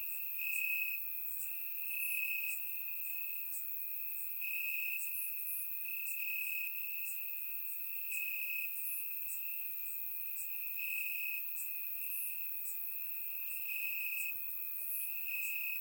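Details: Grass crickets chirping through a warm Bulgarian summer night, surround-recorded: a sustained high trill that swells and fades slightly, punctuated by short pulsed bursts of chirps every one to two seconds.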